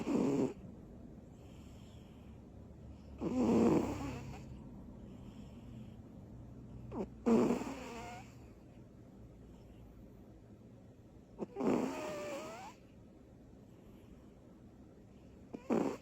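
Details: Butters, a small female cat, asleep after bursts of energy, snoring loudly; rough, rattling snores recurring every three to four seconds, each with a sharp intake and a gravelly, drawn-out exhale, in a quiet room.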